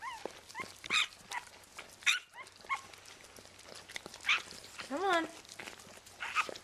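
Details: Newborn vizsla–rottweiler puppy, one of Bailey's litter, squealing during birth indoors; short rising-falling squeaks, the clearest near the end, amid women's encouraging speech.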